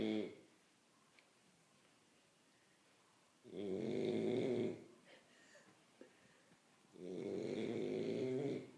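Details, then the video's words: Sleeping French Bulldog snoring indoors: two long, rough, droning snores a few seconds apart, each lasting over a second, with quiet breathing and faint rustles between them. "Bulldog Francês Roncando."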